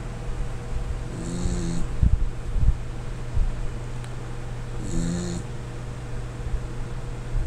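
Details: Sleeping Corgi Lin Xiaolang snores loudly, two low buzzing rasps roughly four seconds apart with a breathy hiss on top, a constant low hum and occasional small knocks between breaths.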